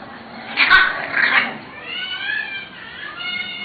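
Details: English Bulldog puppies from an AKC champion bloodline, Danny and Fanny, indoors: a short scratchy burst, then thin, high, wavering whines with rising and falling pitch, repeated over a few seconds in a small quiet room.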